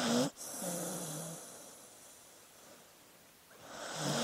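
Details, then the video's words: Sleeping dog breathing: a sharp snorting inhale with a short squeaky whine, then a long soft whistling exhale that fades before the next airy breath begins. "Sleeping Dog Sounds"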